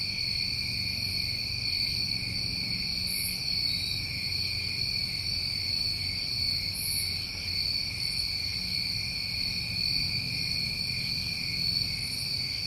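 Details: Steady layered trilling of New England summer crickets, several pitch bands ringing without pause, punctuated by short high sizzles every few seconds over a faint low murmur.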